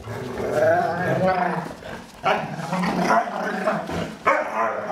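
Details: Foster dogs Maddie and Stella at play, the larger Stella making strange noises as she plays. Rough, drawn-out growly moans with harmonic whines, sharp onsets near the middle and end, and some human voice mixed in.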